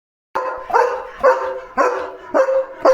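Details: German Shepherd barking loudly after spotting another dog outside the gate; five strong harsh barks spaced about half a second apart, each with a ringing tonal edge.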